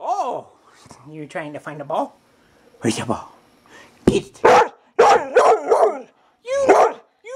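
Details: Indoors, a pet dog objects that her sister got the ball, producing warbling, up-and-down whines and groans mixed with rough, barky bursts, delivered as a chatty run of vocal phrases.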